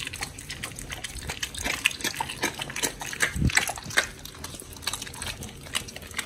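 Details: Oli and Nommy, pit bull dogs fed a raw prey-model diet, chew raw fish and meat, recorded October 21, 2023: dense, wet, slurping mastication with rapid crackling bites and one deep thud near the middle.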